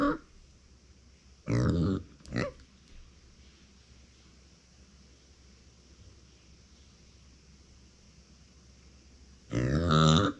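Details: Uni, a female pet micro pig born September 2020, crying indoors when nobody is beside her: three short harmonic squealing cries, two close together near the start and a longer one at the end after a quiet pause.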